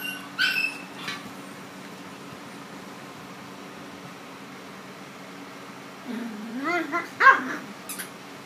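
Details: A newly adopted white miniature Schnauzer, playing with two small Yorkies it has just met for the first time, gives a brief, wavering whine that rises and falls in pitch over a faint steady hum.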